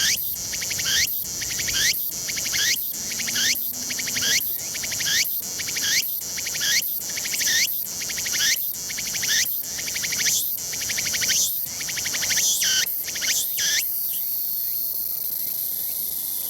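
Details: Tsukutsukuboshi cicada calling repeatedly from the sunny summit of Mt. Ino in Umi, Fukuoka, Japan, 21 September 2022, early autumn, unseen. Rhythmic shrill phrases with upward sweeps pulse about every 0.7 seconds, then settle into a sustained high buzz near the end.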